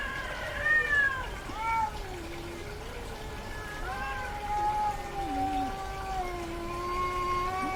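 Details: Domestic cat in heat vocalizing a lot: several long, wavering yowls, some sliding downward and some held low and moaning, overlapping in a continuous plaintive caterwaul with faint background noise.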